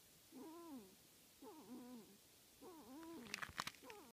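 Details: Young wolverines vocalizing in an active den: drawn-out, warbling mewing calls with rich harmonics, each falling at the end, repeated about every second, followed by a few sharp clicks and knocks near the close.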